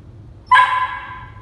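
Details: A nine-week-old male German Shepherd puppy in obedience training makes one short, high yip with stacked harmonics, sharp onset then a fading tail, over a quiet low hum.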